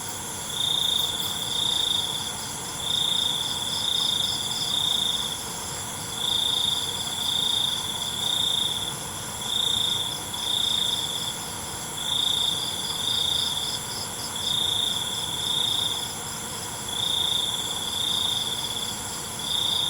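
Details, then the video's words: Nighttime crickets: clipped, shrill trill bursts repeat in twos and threes every couple of seconds for twenty seconds, over a constant high insect drone. "ALUNAN CENGKERIK MALAM"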